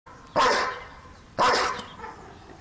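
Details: Two loud, harsh barks about a second apart from Lucky, a two-year-old German and Belgian Shepherd mix going wild indoors, each bark a broad burst with a quieter tail.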